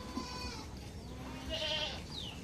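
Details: Goats on a farm in summer, calling in the morning before being let out to graze; two short harmonic bleats, a faint one early and a louder wavering one near the end, over a steady hum and scattered poultry noise.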